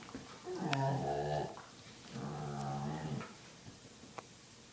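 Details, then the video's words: Dog making weird sounds indoors: two drawn-out, low, growly groans, each about a second long and rich in harmonics, separated by a short pause, with faint clicks afterward. "Weird dog sounds"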